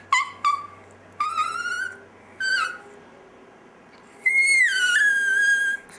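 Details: A chihuahua "sings" at home with short rising yelps, then a longer wavering howl. Near the end comes one long falling note that levels off.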